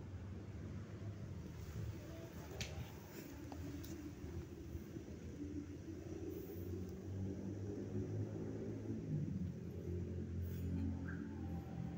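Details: Low rumbling vehicle noise from an urban street, steady throughout, with faint distant voices and no animal sound.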